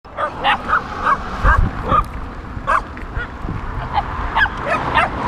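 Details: Dogs chasing and barking at a touring cyclist on the road: a series of short, sharp barks from more than one dog, spaced irregularly, some overlapping, with low rumbling road or bicycle noise underneath.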